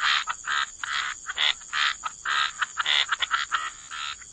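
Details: Loud, close frog croaks near the water, a quick series of rough, grating bursts of varied length, several per second at times, with a faint steady high hum underneath.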